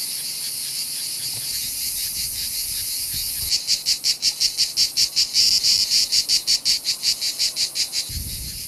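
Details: Cicada chorus during a summer invasion in Provence, France: a dense high buzz that swells into loud rhythmic pulses of about three per second from the fourth to eighth second, then fades back to a steady drone.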